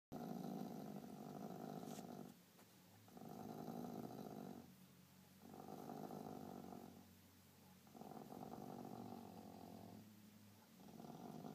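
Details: A dog defending his toy while being scratched growls in a deep, steady, motor-like rumble, pausing briefly for breath about every two seconds.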